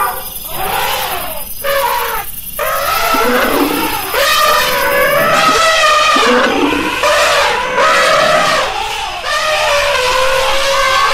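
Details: Elephant giving a run of harsh, roaring trumpets: short rough bursts first, then long wavering blares rising and falling in pitch, roughly one call per second.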